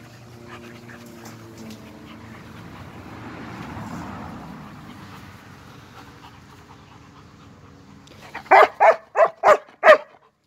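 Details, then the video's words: Steady low hum and a swelling murmur lead into a burst of five rapid, loud German Shepherd barks near the end. "German shepherd dog са немачким овчарима"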